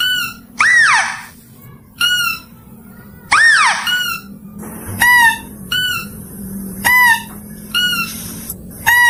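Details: Mouse-deer, a clear recording meant for luring: two long arched squeals rising then falling, followed by a run of short, bright, harmonic-rich notes repeated about once a second over a low steady hum.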